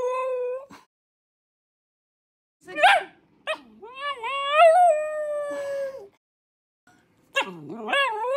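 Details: Shiba Inu dog vocalizing in a series of tonal, whining howls that rise and bend in pitch, separated by short silences, with a few sharp yips between the longer drawn-out notes.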